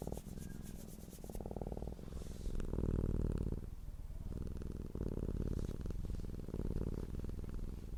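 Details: Purring cat, content and relaxed, gives a deep, rhythmic hum with rapid regular pulsing. The purr swells in loudness around three seconds, dips briefly near four seconds, then resumes steadily.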